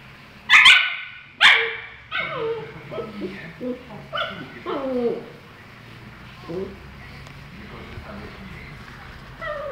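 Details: Tequila, a husky, opens with two sharp, loud barks a second apart, then slides into a string of falling, moaning whines with rich harmonics, softening into quiet whimpers toward the end.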